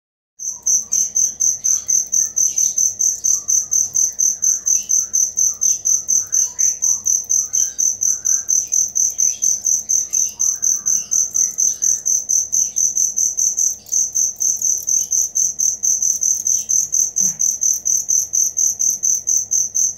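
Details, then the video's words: Cricket chirping steadily, recorded as learning material for songbirds: a high, bright pulse repeated about twice a second in an even, unbroken train, with faint soft chirps and twitters scattered underneath. "Suara Jangkrik asli"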